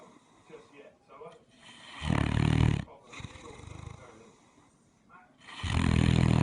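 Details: Great Dane asleep and snoring: heavy, low, rattling inhalations rise into two loud drawn-out snores about three and a half seconds apart, separated by softer wheezy breaths.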